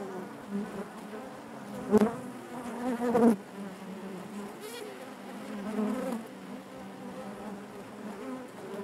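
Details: A hive of honey bees buzzing, a constant low drone broken by two loud close passes around the second and third seconds, then settling into an even hum.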